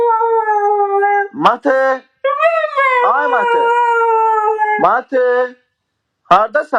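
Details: Husky dog howling in a long drawn-out voice, steady held tones that bend and waver, broken by short sharp rising yelps and brief pauses, with a clipped burst of vocalising at the end.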